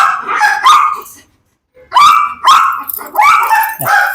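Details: Domestic dog in a Dog challenge, provoked into biting, barking sharply and excitedly: a quick pair of barks, a short silent pause, then four loud, rough barks in fast succession with no other sounds.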